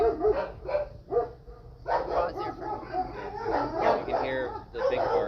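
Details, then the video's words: Big Al, a dog at an animal sanctuary, gives his big bark: three short, punchy barks in quick succession during the first second, followed by people talking over the rest. "Yeah, you can hear the big bark. That's Big Al doing what he does best."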